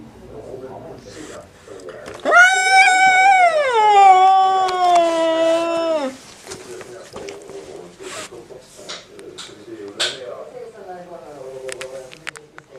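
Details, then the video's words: Domestic cat giving a strange, drawn-out cry in a small room, a steady nasal wail held about four seconds before sliding lower, followed by softer broken murmurs and a few sharp knocks. "Cat's strange sound"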